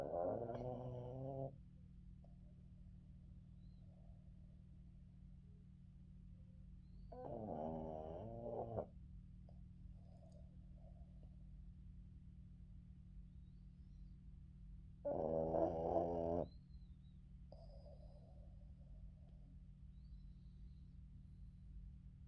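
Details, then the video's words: Boston Terrier Yoda dozing through an afternoon nap on his owner, giving three harsh, rasping snores about every seven to eight seconds, each lasting over a second, separated by quiet indoor hum and faint breathing. "Yoda afternoon sleeping with dad and funny snoring"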